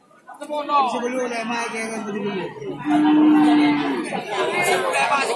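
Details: Madura cattle moo with a sustained, level low call lasting about a second, amid a crowd of people chattering and talking loudly.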